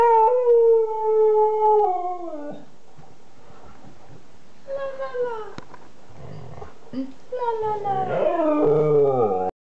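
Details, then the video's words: Kanu, a two-year-old Siberian Husky, starts with a level howl that drops off, falls quiet amid faint room noise, gives a short sliding moan, then ends with a wavering, rough howl. "Howling Kanu - Siberian Husky talking"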